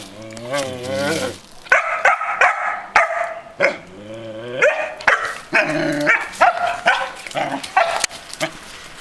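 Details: A male Belgian Malinois puppy, 2.5 months old, alongside a 14-year-old female Belgian Shepherd. Drawn-out whines with wavering, stacked tones open the clip, then short sharp barks and yips follow unevenly, with soft music underneath.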